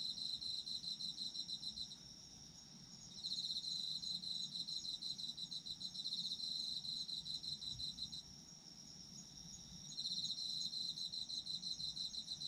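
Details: Autumn insect sounds for sleep: long runs of rapid high chirping pulses alternate with quieter stretches of a continuous shrill trill, each run lasting about five seconds, over faint low rumble.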